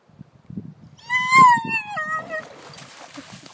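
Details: German Shepherd named Bella throwing a fit when it is time to go, letting out a long high whine that slides downward over about a second and a half, after a person calls her name.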